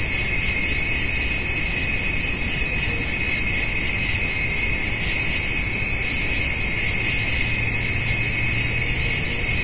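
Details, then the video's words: Crickets calling on a summer evening alongside grasshoppers while a white-tailed doe and fawn eat hay: a steady, dense, high shimmering drone in several stacked bands, unbroken for the whole stretch, with faint low rumble beneath. "Cricket and Grasshopper Sounds"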